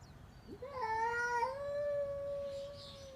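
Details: A cat gives one long, drawn-out meow that begins with a short rising squeak, then holds a steady, slightly wavering tone for over two seconds before fading.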